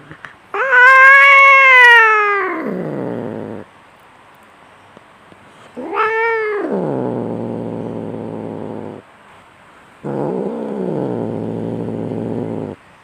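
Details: Domestic cat fight with a loud, strained yowl that slides down into a long, coarse growl, then a sharp upward wail collapsing into more rumbling growls, and a final stretch of low, wavering growling.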